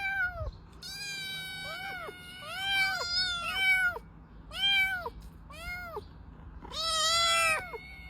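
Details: Cat giving a run of about eight clear meows, each an arching rise-and-fall with rich harmonics, some short and some drawn out, the last one long and loud.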